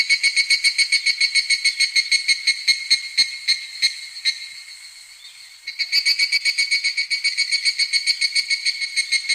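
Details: Midsummer evening cicada song, a high metallic ringing chopped into quick even pulses, dropping to a quieter waver near the middle before bursting back at full strength.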